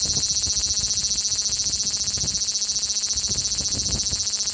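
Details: Male large brown cicada (Graptopsaltria nigrofuscata) in Osaka city, Japan, 5 August 2019, recorded on an Xperia XZ1 smartphone: a steady, dense, high sizzling drone without a break, with faint low rumbles underneath.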